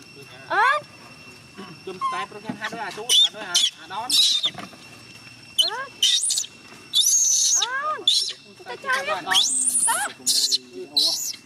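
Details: Gina, a young chimpanzee, cries and pleads for her carer to stay: rising, wavering harmonic whimpers sweep upward again and again, broken by piercing high shrieks and brief pauses over roughly eleven seconds.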